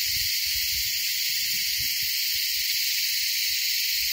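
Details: Deafening insect mating chorus on the Kaas Plateau: an unbroken, very high, hissing shrill drone at constant loudness, with faint low rustling or handling noises underneath.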